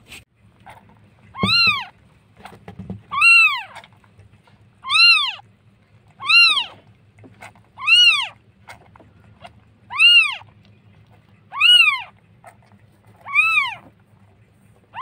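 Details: Street cat in Jakarta, Indonesia, from footage of a cat that has just given birth to kittens: loud, high, arching meows repeated roughly every one and a half to two seconds, nine in a row, over a low steady hum.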